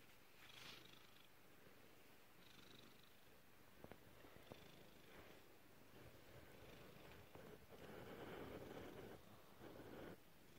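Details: Black cat Peppa, female, purrs in a rhythmic low drone of fast regular pulses, with brief taps and rustling and a louder swell near the end.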